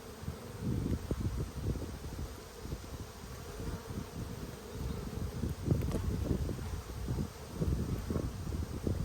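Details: Strong honey bee colony in Australia, inspected in early February 2022 while food is scarce; a dense, low droning buzz with rapid flickering bursts throughout, steady in loudness from start to finish.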